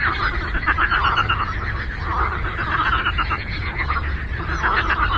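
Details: Lake frog chorus with many callers at once, giving continuous pulsed, raspy croaking that rises in bursts every second or so, with a constant deep background hum.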